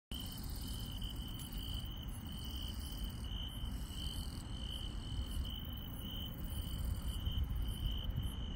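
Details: Night insects in the countryside keep up a steady, high, shimmering trill over a low background rumble.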